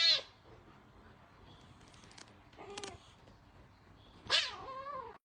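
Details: Aggressive little orange kitten lets out a sharp hissy burst, then a short strained cry, and ends with a loud harsh meow that falls in pitch. Quiet pauses separate the sounds.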